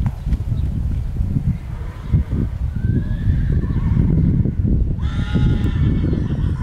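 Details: Colt foal by Clarcon, with Landos and Painter's Row xx in the pedigree, whinnies: a wavering falling call, then a loud, trembling, harmonic-rich neigh over the last two seconds, with heavy low rumble and hoof sounds throughout.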